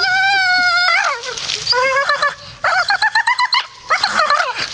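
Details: A grumpy Staffordshire Bull Terrier holds a long, level whine, then breaks into rapid, stuttering grumbles, about four pulses a second, before trailing off into quieter moans.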